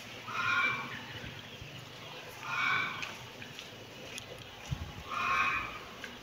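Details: A kitten meows three times, each call a short, clear, high cry roughly two seconds apart, over quiet background hiss.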